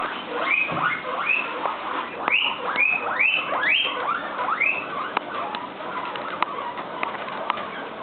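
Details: Guinea pig (Cavia porcellus), scream.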